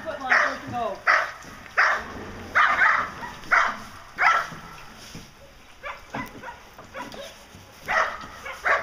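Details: A male German Shepherd Dog named Diesel vom Darland Haus, 16 months old, works protection for Schutzhund, giving forceful barks about every second, a little irregular, with a brief pause midway and some voices in the background.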